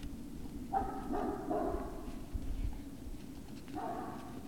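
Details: Whimpering Great Dane puppies at Puppy Hill on the evening of 19 February 2019: one long wavering whine lasting over a second, a pause with soft background thumps, then a second rising whine, over low steady hum.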